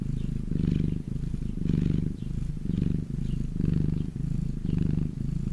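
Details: Domestic cat purring while lying in the sun: a deep, continuous rumbling purr swelling and easing in a steady breathing rhythm, roughly one cycle per second, with no other clear sounds.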